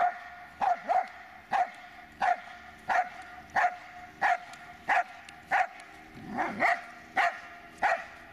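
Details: Dobermann Magmar Von Der Burgstätte barking in a steady series, about one sharp, mid-pitched bark every two-thirds of a second, with a brief rougher, lower burst near the end.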